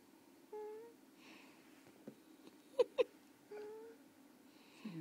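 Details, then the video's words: Sleeping pet Carter lets out two brief, high, squeaky snore whistles three seconds apart, each flat then slightly falling, with soft clicks and faint rustling between them in a quiet room. "Carter Snoring?"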